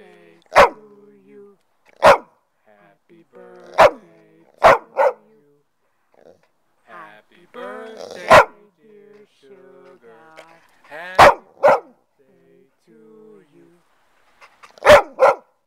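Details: A female golden retriever, celebrating her 8th birthday, gives sharp, loud barks and yips at uneven intervals while people sing Happy Birthday.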